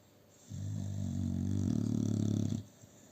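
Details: A male American Bully XL asleep on a sofa, alongside two female Staffordshire Bull Terriers, gives a single drawn-out snore, deep and rumbling with a rapid fluttering rattle, swelling and fading over about two seconds before quiet.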